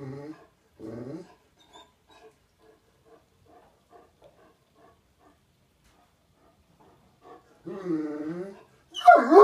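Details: A deaf pet Great Dane, indoors, complains about a wet floor and backs out of a doorway: low harmonic moaning grumbles, two short bursts, then faint soft murmurs, a longer groaning whine near the end and a sharp louder noise.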